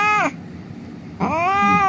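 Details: Injured cat lying on a street, crying during a rescue: two loud harmonic meows, the first falling sharply, the second rising then holding steady and long, with a low hum of traffic beneath.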